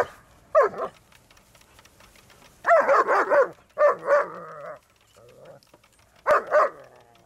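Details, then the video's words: German Shepherds Malfred and Mennard attacking a lawnmower in motion; bursts of rapid harsh barking in clusters of two to four, separated by short quiet gaps, with a final double bark near the end. "Dogs attack the lawnmower!!"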